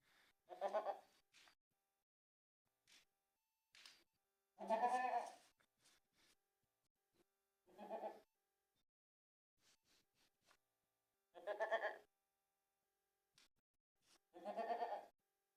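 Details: Young goat kid on a winter night; five short, wavering nasal bleats spaced several seconds apart against a quiet background.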